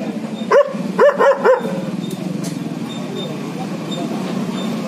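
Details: A German Shepherd dog gives four short, clipped barks in quick succession at the start. The barking is followed by several seconds of steady low background rumble with no further barks.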